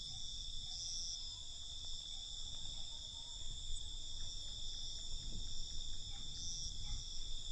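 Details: Nighttime cricket chorus, an even high-pitched ringing trill in stacked bands, with occasional brief chirps and a low background rumble.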